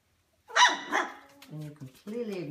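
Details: Golden Mountain Doodle, in a litter of puppies four weeks old, indoors as the mother is let into the room: a sharp, loud double bark, then softer voiced yelps, with a woman speaking nearby.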